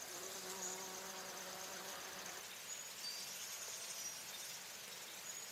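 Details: Bumblebee visiting flowers for nectar or in flight gives a low, even drone for about two seconds, then fades, leaving a steady high insect hiss and faint chirps.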